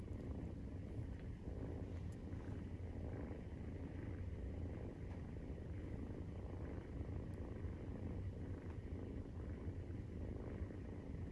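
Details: Low continuous rumbling purr from Maine Coon cats while nursing, with kittens at 43 days old; the throbbing drone stays even throughout, with occasional soft ticks above it.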